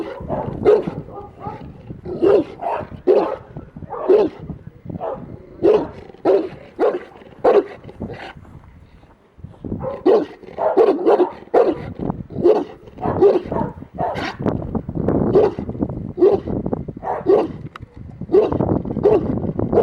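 A Presa Canario gives a long run of deep, booming barks, spaced about a second apart.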